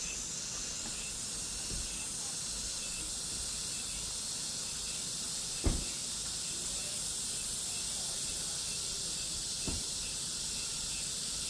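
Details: Cicadas calling in summer: a dense, steady, hissing drone held high and unbroken throughout, with a couple of faint soft knocks underneath.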